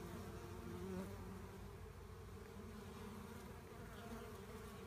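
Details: Honey bee swarm being collected, with a hive shown: a dense, steady low hum of many wings, droning without pause and swelling slightly in the first second.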